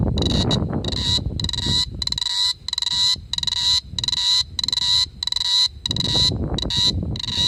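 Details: A cicada at night in summer 2017 in Da-an District, Taichung City, gives loud, buzzy bursts of rapid clicks, repeating about every half second.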